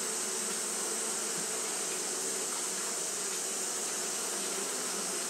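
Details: Continuous fanning by Japanese honey bees during hot weather: a thick, even drone of many wingbeats, low hum plus airy hiss, with no pauses and no other clear sounds.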